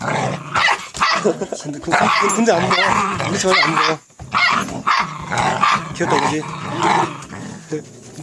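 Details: A white Korean Jindo puppy (female) gives small rough growls and yips while people talk nearby, in the countryside.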